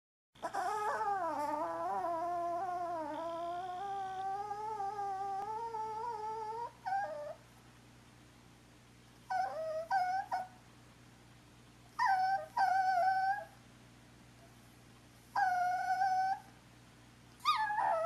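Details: Umi, a talkative female Chihuahua, asking her sister Sola to play indoors; long high-pitched whining whimpers that waver and rise, followed by shorter whines in separate bursts with quiet gaps between.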